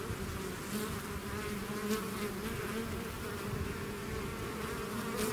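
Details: A bee swarm out of its hive, buzzing in a dense, steady drone with low hum bands and a brighter overtone layer, the loudness staying level throughout.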